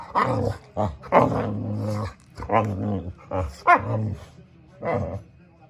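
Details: Boxer dog named Samson making funny sounds up close, a series of short gruff grumbling woofs and growly mutterings, about one every second, low and throaty.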